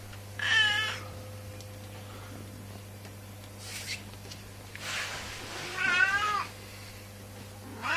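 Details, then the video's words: Domestic cat giving several funny meows, a rising wavering cry near the start, a softer one mid-clip and a longer wavering meow near the end, over a steady low electrical hum indoors. "Cat Funny Noise"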